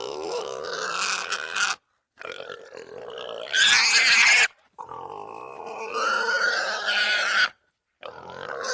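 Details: A Russian wild boar (Sus scrofa) squeals in harsh, grating bursts separated by brief silences.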